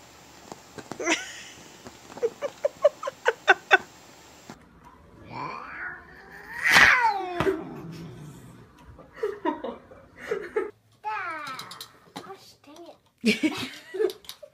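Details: Pet cat in a funny home compilation: a run of sharp taps over the first four seconds, then several wavering, whining meows that rise and fall in pitch, with voices and laughter mixed in.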